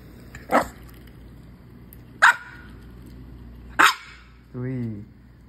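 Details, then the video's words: Maltese puppy named Louie reacting to squirrel videos, giving three sharp barks about a second and a half apart, then a short drawn-out whine, over a low steady household hum. "MALTESE PUPPY REACTING TO SQUIRREL VIDEOS"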